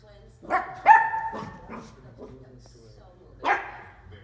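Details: A Dachshund puppy barking at a bowl gives a few short, sharp barks, then a final yap after a pause.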